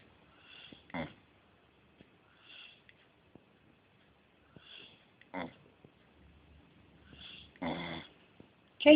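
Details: Casey the beagle asleep and refusing to wake, giving soft wheezy snores roughly every two seconds, broken by a few sharper snorting breaths and a brief human voice in a quiet small room.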